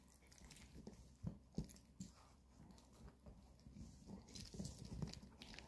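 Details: Indoor weekend treat time as Maltese Bomi and long-haired Chihuahua Coco eat dog chews; scattered sharp crunches and gnawing clicks, a few louder bites around one and a half seconds, against soft low background rumble.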